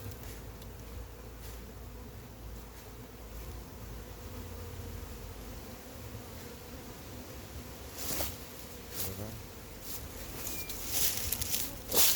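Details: Honey bees from a massive wild hive being caught and moved into frames, a steady low droning hum holding throughout, with scattered knocks and handling clatter toward the end.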